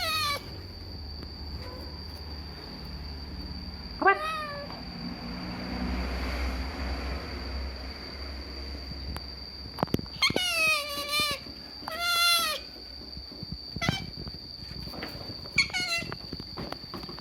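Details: Food-begging otters: after a quiet start with one short squeal, a run of piercing, harmonic, downward-sliding screams comes in quick succession, then brief chirps near the end. A steady high whine and soft handling noise are also audible.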